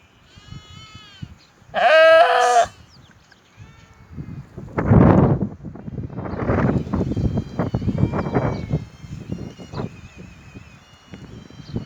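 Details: A single loud, quavering sheep bleat near the start, followed by low shuffling, thumps and faint background noise.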